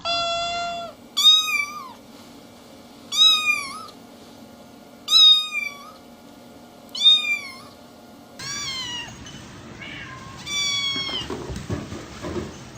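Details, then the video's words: Kitten meowing: a flat opening mew, then four high arched meows repeated roughly every two seconds, followed by a burst of overlapping mews and a noisy rustle at the end. "So many cute Kittens meowing"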